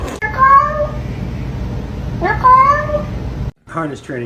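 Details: Domestic cat indoors giving two drawn-out, slightly rising meows about two seconds apart, each clear and tonal with bright harmonics, followed by a person's voice speaking briefly at the end.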